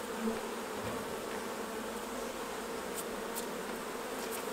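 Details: Steady hum of honey bees around hives at honey harvest time, a dense unbroken drone with a few soft high ticks near the end.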